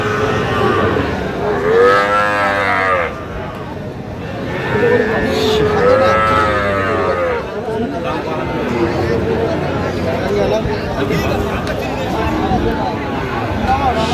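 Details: Sahiwal bull calves, one about five months old, at a cattle market: two loud, arching moos about four seconds apart, each swelling then sliding down, over constant men's bargaining chatter and background crowd noise.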